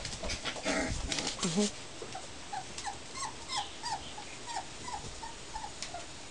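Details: Puppies in a play yard for their first time: after an opening rustle and a brief yelp, thin high whimpers come in a quick run of about nine short squeaks across four seconds.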